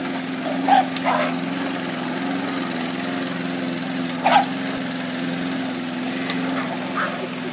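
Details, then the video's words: Buddy, a pet Cairn terrier, attacks a lawnmower. A few short, sharp barks come near the start, midway and at the end, sitting over the steady low drone of the running mower. "Buddy attacking the lawnmower"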